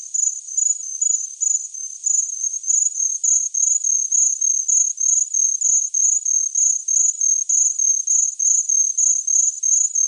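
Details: A high, thin cricket trill in quick, regular chirps, about three bursts per second, with two close tones interleaving; nothing else audible.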